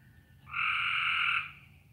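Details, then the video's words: Outdoor frog chorus under a low cloud ceiling; a single loud, even, buzzy call holds for about a second before fading, with a quiet low hum beneath. "Y'all hear the frogs? That's what it sounds like here."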